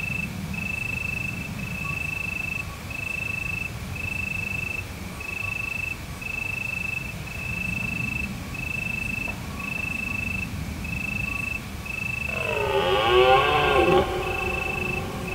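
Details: Deer roaring at night in autumn in the hills of Provence under a full moon: steady pulsed cricket trills repeat throughout, then near the end a loud, rich, harmonic bellow swells and fades over about two seconds.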